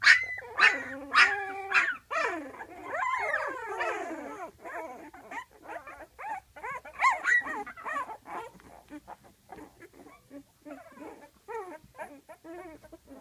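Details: Twelve-day-old puppies in a whelping box call noisily for their mother, who is taking a break just outside; a chorus of loud sliding whines and squeals, densest at the start, then softer scattered yelps over a low background hum.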